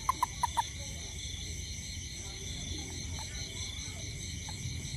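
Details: Toad calling around a home after rain while looking for ants: four short, bright pips in quick succession in the first moment, then only faint single notes over a steady, high insect hum and low rumble.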